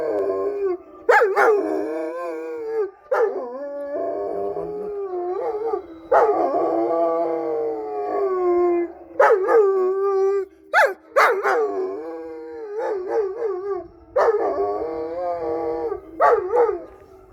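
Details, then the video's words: Pet black East European Shepherds howl together at passing emergency vehicle sirens, several overlapping voices in repeated wavering howls with sharp rising starts and falling ends, separated by short pauses. "Black East European Shepherds Howling to police sirens !"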